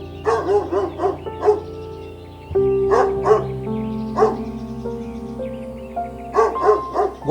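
A Doberman gives deep, hoarse barks, singly and in quick pairs or triples, a few seconds apart, over steady background music.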